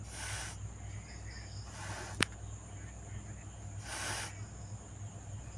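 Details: Cat hissing: three breathy, broadband hisses, each about half a second long, spaced a couple of seconds apart, with a sharp click between the second and third and a steady low hum underneath throughout.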